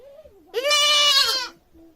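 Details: Goat screaming loudly: a single harsh, strained bleat lasting about one second, preceded by a faint rising and falling lower cry.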